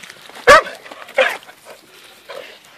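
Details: Hungarian Vizsla pet dog playing outdoors, one of a pair named Poppy and Cleo; a sharp bark rings out, then a second shorter yelp about a second later and a faint third sound, over quiet background.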